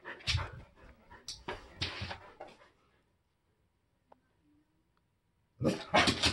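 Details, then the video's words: Pet Siberian Huskies barking at passers-by near their house: a volley of loud, rough barks, several in quick succession, then a few seconds of near silence before another harsh burst of barking erupts. "Huskies Reacting To People/Dogs Walking By"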